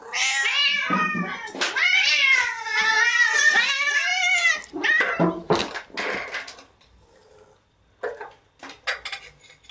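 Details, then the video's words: Cats at a breakfast table, indoors: long, loud, wavering meows that rise and fall, several overlapping in the first five seconds, then shorter calls and faint clinks toward the end. "Cats at Breakfast Table"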